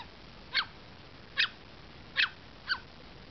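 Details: Two Pomeranian half-sisters, Kairi and Selphie, feisty and playing indoors right after a bath, give four short, sharp yips spaced under a second apart in a quiet room.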